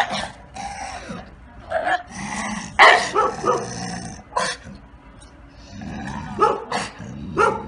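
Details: Neutered male Bull Terrier, about five years old, with a history of attacking its owners, during a training session: several sharp, broadband bark bursts scattered among Italian speech from the handlers.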